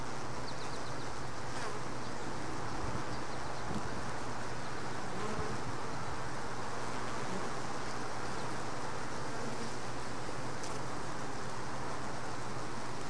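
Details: Honey bees at a hive box, where a worker bringing in a mite tried to dislodge it, then gave up and walked inside; a steady, dense low buzzing hum holds throughout, with a constant deep drone and a few faint high ticks.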